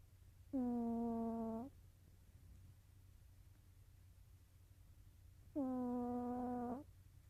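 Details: Sleeping cat Nova gives two drawn-out snores, each a steady humming tone lasting just over a second, spaced about five seconds apart in a quiet room with faint low hum.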